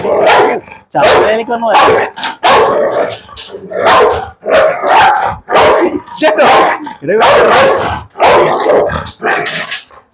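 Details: Pit Bull in a dog challenge barking in steady, forceful bursts roughly every second, the harsh barks running almost without pause while a man talks in Malayalam alongside.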